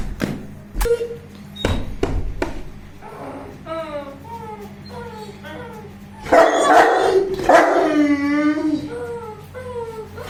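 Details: A 21-month-old Saint Bernard vocalizing while playing: a few short thumps and clicks at first, then a run of wavering, tonal whines and howl-like yelps, growing louder and denser toward the end, with faint human speech.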